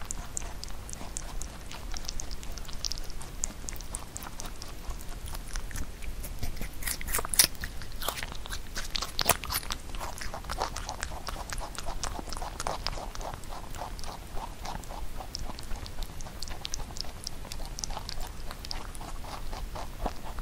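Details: Pet rabbit eating Korean melon indoors, a fruit it rarely ate when young; dense crunchy biting and chewing clicks repeat rapidly and steadily throughout, with a couple of sharper crunches near the middle.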